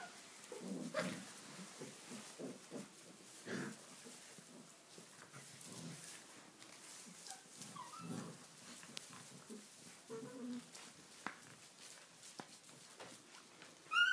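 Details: Six-week-old Tibetan Mastiff puppies let loose to play in a stable for the first time, going wild indoors while it is wet outside; short rough growly bursts and scuffling come in quick irregular bouts, with a few higher squeaks near the end.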